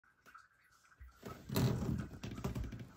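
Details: Indoor household noises: quiet shuffling, then a louder door-like thump and rustling, with no animal voice.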